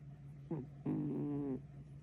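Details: A sleeping kitten makes a brief buzzy snort, then a longer harmonic snore of under a second, against a constant low background hum.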